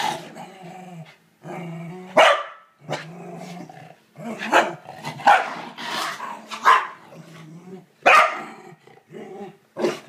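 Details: Kevin Bacon, a corgi, confronts a disliked toilet brush with long, low growls broken by about six sudden high barks, some in quick pairs, over ten seconds.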